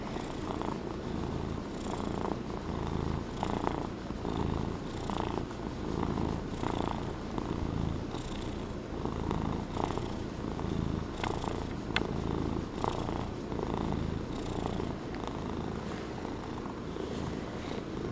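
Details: A fluffy Norwegian Forest Cat in a purring mood purrs steadily and loudly, a low rumbling buzz pulsing with each breath.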